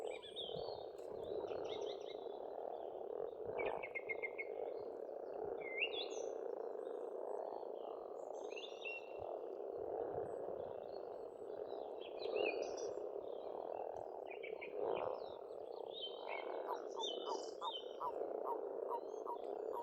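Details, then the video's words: Springtime frog chorus at an Estonian pond: continuous overlapping croaks beneath lively birdsong, with repeated short chirps and trilled phrases throughout and a run of rapid clicks near the end. "Расслабляющее пение птиц и лягушек"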